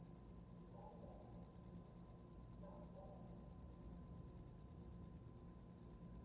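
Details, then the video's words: Shrill rhythmic cricket chirps repeat evenly at roughly three per second, a constant high ringing pulse over a quiet low background. "Som de grilo para dormir"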